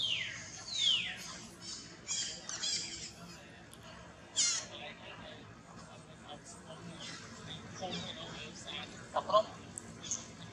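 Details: Baby monkey Jason, active and training hard while his strong mother protects him, gives high, sliding squeals that fall in pitch, a sharp cry near four seconds and short chirps later, with people talking in Vietnamese throughout.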